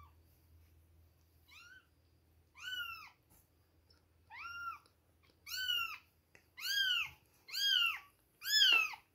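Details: Two-week-old baby kittens at milk time mewing insistently: seven high, arched cries that come faster and louder toward the end, nearly one per second, with a low hum early on.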